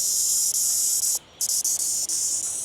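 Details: A male cicada in India, in a rural area, gives a steady, high-pitched buzzing drone with a few brief breaks; only males make this sound, produced from the abdomen.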